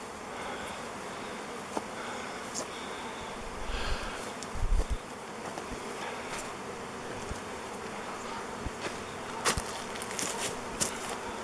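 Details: Swarm of thousands of honey bees swirling in the air while choosing a log hive as a new home; dense continuous buzzing hum with a few brief clicks and knocks.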